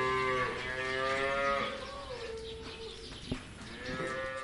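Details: Cow at a farm with a long, steady, droning moo that slowly slides lower in pitch, then a fainter rising call begins after a short pause, heard over soft background noise.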